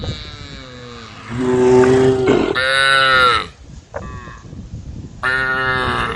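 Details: Female cows in a group grazing in a forest; several long harmonic moos, one rising and bending near the middle, another loud low bellow around three seconds, a further moo near the end, with rustling background.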